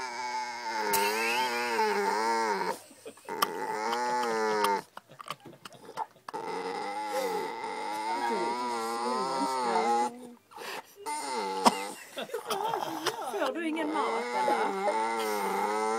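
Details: Pet dog vocalising for attention at the dinner table on 9 July 2011: drawn-out, wavering moans and howl-like 'talking' in several long phrases broken by short pauses, with sharp clicks and brief household noises between them.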